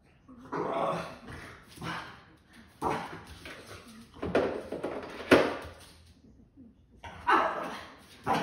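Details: Boston Terrier making a string of rough, grumbling bursts about once a second, some sharper and bark-like, with brief pauses between.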